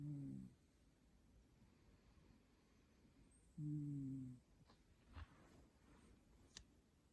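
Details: Mandu, a pet cat, snoring indoors: two low, droning, nasal snores with a humming tone, about three and a half seconds apart, separated by quiet room hiss and a few soft clicks.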